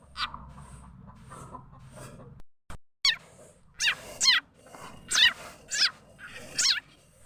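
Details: Frog known locally as khiat chana or khiat mo, its call used as a lure for catching birds, chickens and other fowl. After a quiet start, loud short squeaky harmonic chirps come in groups of about every half second to a second.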